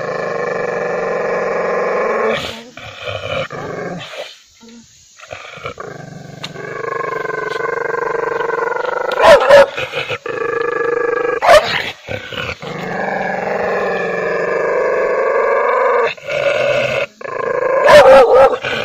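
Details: Angry dog snarling and growling in drawn-out rumbles, punctuated by several sharp, explosive barks near the middle and end.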